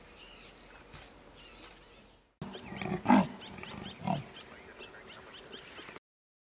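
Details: Chiphadzuwa, a female leopard in her prime in the 2018 season, barks to call a potential mate and then pauses to listen: two harsh, rasping, low coughs about a second apart, with small birds chirping softly behind.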